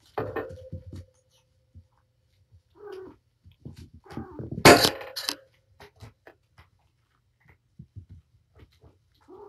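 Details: During indoor playtime with her five kittens at Purrfect Pals, the mother cat Patience utters a drawn-out steady meow at the start, then short mews, over scattered knocks and a loud rustling burst.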